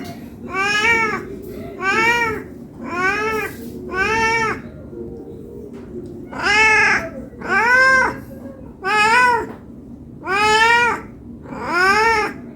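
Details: Hungry cat meowing to ask for food: nine drawn-out, arching meows at a steady pace, about one every 1.3 seconds, each rising then falling, with a low steady hum underneath.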